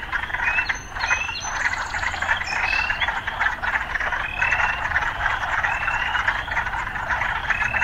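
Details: An urban frog chorus with a continuous buzzy croaking wall and repeated short rising chirps, joined early on by a brief high-pitched tone from the surroundings.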